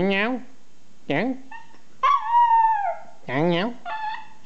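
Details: Pet dog responding with howls to a person's funny vocal sounds; short wobbling howls and one longer steady falling note alternate with the human's rising imitations, with no other background noise.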